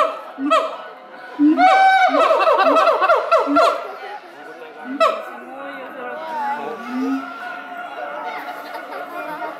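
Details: Siamangs Brave and Heart at Chiba Zoo, Japan, May 2021, singing to each other in the morning: a burst of fast rising whoops and barks over deep booms, then quieter wavering hoots trailing off.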